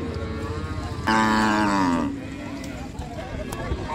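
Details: Cow being unloaded from the river side at a busy village cattle market in Bangladesh, giving one strong drawn-out moo lasting about a second amid constant crowd chatter.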